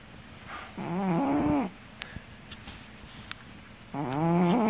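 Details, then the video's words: Miller the cat snoring loudly through a nap, two long droning breaths with a wavering, buzzy whine, roughly three seconds apart, faint ticks and clicks in the quiet gap between. "My snoring cat"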